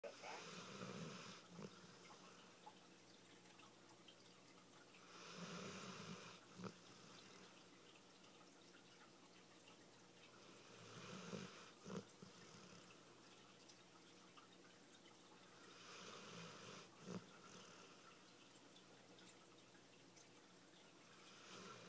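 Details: Bike, a pet dog worn out after a fun day at the beach, snores indoors: breathy, rasping inhale-exhale cycles about every five to six seconds, low hum beneath each breath, quiet room between snores.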